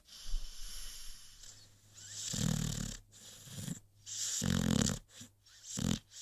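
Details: A sleeping American Pit Bull Terrier snoring: rough, raspy breaths in bursts roughly every one and a half seconds, low rumbling inhales with hissy noise, quieter pauses between, a steady faint hum in the room.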